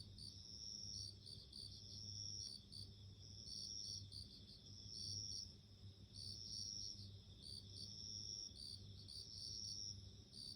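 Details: Bell cricket singing: bright, high, bell-like ringing chirps in short repeated bursts, often two or three quick notes together, about forty bursts a minute, over a steady low hum.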